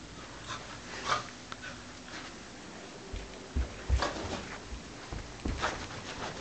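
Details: Welsh Corgi. A Welsh Corgi gives brief, bright yelps and whimpers spaced a second or two apart as it welcomes its owners. Panting, shuffling and low thuds of movement indoors fill the gaps.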